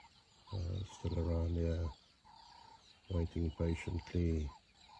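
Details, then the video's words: Fighting over food in Kruger National Park, South Africa, 2024, lionesses give deep throaty snarls: two long growls, then four clipped bursts in quick succession, with a thin steady hum behind. "A lioness killed another lioness just for food | Lion fight to death"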